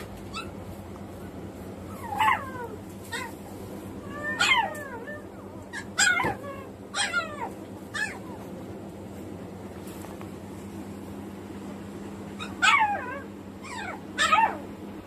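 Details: Newborn Samoyed litter of six, born 14 May in the morning to Kamon at ZOO Shin-Okubo. High whining squeals come in short clustered bursts, several overlapping, with quiet gaps between groups over a constant low background hum.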